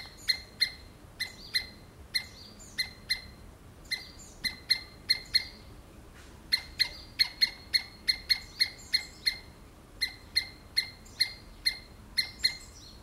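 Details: Squirrel screaming: sharp, harsh, clipped calls in short bursts of two or three, then a faster run of about a dozen in a row, each call bright and piercing with a ringing edge, over a faint steady background hiss.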